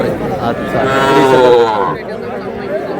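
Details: Young bull and heifer calves at a cattle market in Madaripur, Bangladesh, in February: a drawn-out, wavering moo lasting about a second and a half, amid crowd noise and men bargaining.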